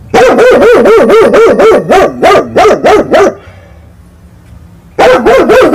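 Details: Dog barking furiously at night because cats are fighting, firing a fast regular string of about ten sharp barks, a brief quiet gap, then another burst of rapid barking.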